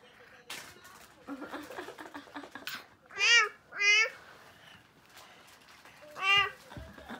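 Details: A cat that has taken over a dog house, with its brothers, gives three clear, drawn-out meows that rise and then fall. The first two come close together and the third follows after a pause, over low background voices and rustling indoors.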